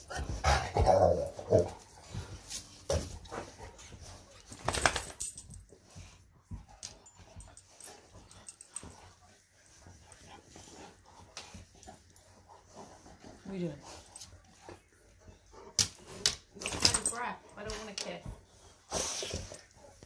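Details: Two Presa Canario puppies, Betty and Gia, jostle for attention and cuddles while being scratched; scuffling and rustling fill the recording, broken by a short, sliding whine about midway and a few faint yelps near the end.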